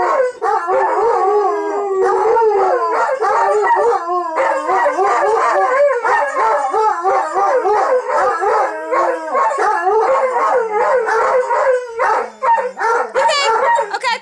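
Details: Duet of howling dogs, Billy and Bucky the Bernese Mountain Dog/Shepherd mix, singing on request: dense, warbling, tremolo howls that rise and fall continuously, with a few higher yips near the end.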